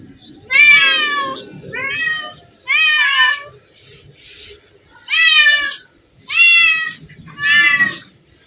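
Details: From a place full of hundreds of cats, six strong, slightly rising meows sound at uneven intervals, separated by a pair of faint breathy calls and light background noise.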